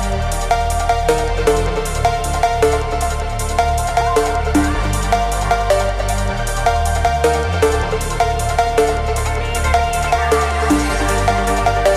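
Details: Electronic dance music with a driving beat and synth layers, no animal sounds.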